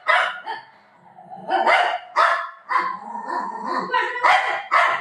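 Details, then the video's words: Domestic dog gives loud, broad barks spaced irregularly, about four in five seconds. A human voice talks between and over them. "Dog barking video"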